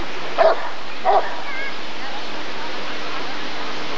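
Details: Rottweiler at the 1994 ADRK breed survey (Körung) giving two short barks about half a second apart, followed by faint murmuring and an otherwise quiet room-like background.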